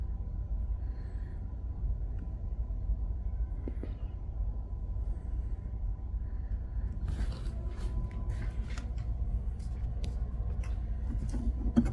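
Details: A steady low rumble, like a vehicle or machinery, dominates throughout. Scattered soft clicks and rustles appear in the last few seconds, but no animal voice can be picked out.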